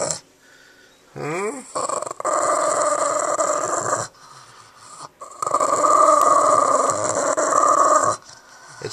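A Boston Terrier gives sustained, gravelly growls in two long stretches, a possessive warning over her new toy. A woman's voice speaks teasingly to the dog at the start.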